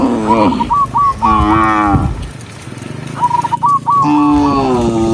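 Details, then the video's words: A tame cow herded with dozens of others in the countryside lows repeatedly: a short falling moo, a longer steady one, then a rising drawn-out moo, with brief runs of high chirps in the gaps. "cow sound cow Moo"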